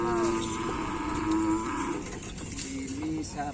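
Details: Cattle at a kerapan sapi bull race ground: a long, steady, low lowing call of about two seconds, then softer wavering moos, over background music and chatter.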